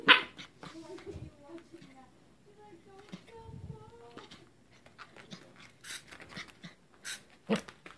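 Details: Corgi puppy Roger Rabbit, angry at a larva toy he wants to destroy but is scared of, gives thin, wavering tonal whines in short rising and falling bursts, with scattered clicks and rustling indoors.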